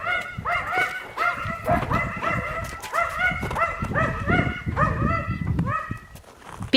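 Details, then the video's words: Several Yakutian Laika puppies yelping together, a steady stream of short high harmonic yips roughly every half second, with some low rumbling noise underneath. "Щенки якутской лайки"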